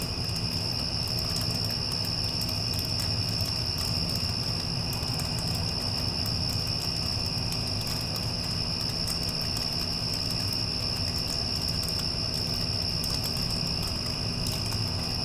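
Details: After a storm has passed, crickets keep up a continuous shrill ringing with no pauses, while an air conditioner hums and whooshes underneath.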